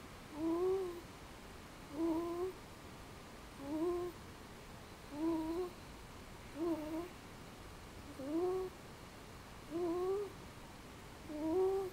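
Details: Sleeping just after dinner, the house cat Bobby gives his distinctive snore, a steady run of short whistled, upward-curving breaths about every one and a half seconds, quiet against a low indoor hum.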